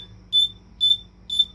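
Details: A bell cricket (Homoeogryllus orientalis) sings clear, high, bell-like chirps, repeated about twice a second.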